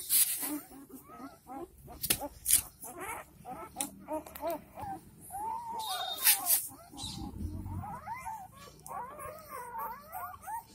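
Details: Four-day-old Dogo Argentino puppies, a pirate male and a pure white female, in Delhi NCR, India: overlapping high squeaky whines and yelps, many arched and wavering, nearly continuous, with clicks and handling noise between them.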